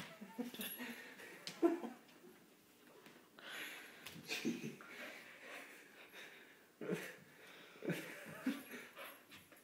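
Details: Soft-coated Wheaten Terrier named Romeo, indoors in a small room, wearing a new Halloween costume from a garage sale; breathy, wheezy panting comes in irregular bursts of rough, noisy breaths, with a faint human voice in the background.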